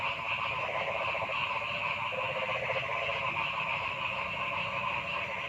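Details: Frog chorus in a forest: a rapid, pulsed mid-pitched rattle over steady higher buzzing bands, with a continuous low rumble underneath.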